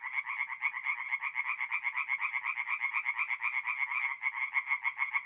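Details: Tree frogs singing at night at a forest pond in mid-April in north-east Italy: a dense chorus of rapid, rasping pulses, each note stacked between low and high bands, repeating continuously without pause.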